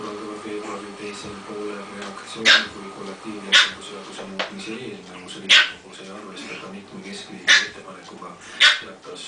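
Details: Pekingese mother with her two-month-old puppies in Tallinn, Estonia, teaching them to play: sharp yipping barks, roughly one every one to two seconds, over a steady humming background with people talking.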